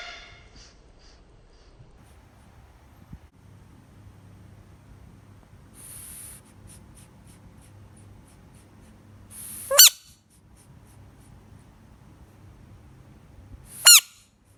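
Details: Screaming frog: two brief, loud, harmonic-rich shrieks about four seconds apart, each sweeping sharply and preceded by a soft hissy rustle, over a low steady indoor hum.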